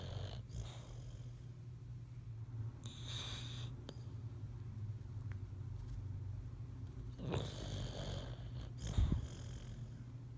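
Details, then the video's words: Sleeping boxer dog dreaming, with continuous low, purring snore and a few brief snorts and sniffs. "Boxer Song of Sleep"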